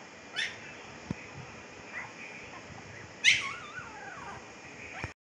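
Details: Fifteen-day-old Siberian Husky puppies in Pakistan, eyes just opened and blue; one puppy gives a single wavering, bending whimper lasting under a second, preceded by a few faint short squeaks against a quiet background hiss.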